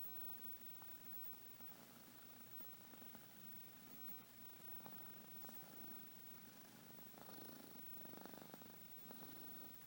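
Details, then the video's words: Quiet snoring from a sleeping house cat, a continuous low rumble with slight uneven swells and a faint hiss behind it. "Snoring kitty"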